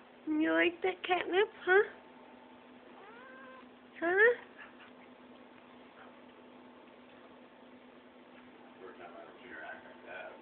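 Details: Tigger the pet cat on organic catnip, indoors in January 2011; a burst of several sharp, wavering meows and yowls in quick succession, then a pause and another loud yowl, with a steady electrical hum and faint voices later.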